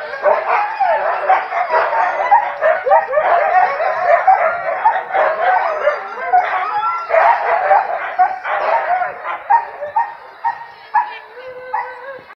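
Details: Several huskies of a husky-tour team yipping, whining and howling at once in an excited, overlapping chorus. A single sustained whine comes near the end.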